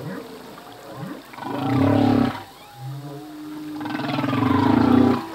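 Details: Male humpback whale singing part of a full-length song, whose phrases change each year. Deep buzzing moans with rich harmonics swell twice, linked by a low steady tone and faint rising sweeps, in a quiet ocean background.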